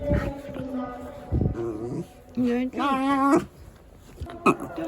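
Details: Frightened Shiba Inu, Yuzu, panicking at the second typhoon warning siren as Typhoon No. 14 nears in Japan; short moaning whines, then a loud wavering, quavering wail near the middle, with clicks and household noise around.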